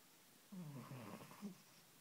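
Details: Sleeping cat snoring noisily, a single rough, low rasping breath with a rumbling buzz lasting about a second, then quiet.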